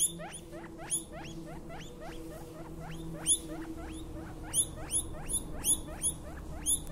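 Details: Newborn guinea pig pup calling: quick, sharp, rising squeaks repeated almost continuously, with occasional louder peaks, against a steady low background hum.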